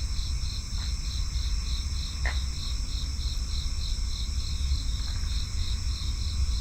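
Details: Crickets chirping in a steady, even pulse of about three chirps per second, layered over a continuous high trill and a heavy low rumble of background noise, with a few brief faint chirps from other callers.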